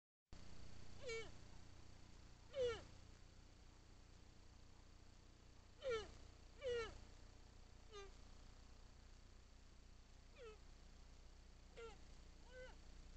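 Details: Fallow deer recorded by a trail camera give short, nasal, falling bleats, spaced irregularly over a low steady hum.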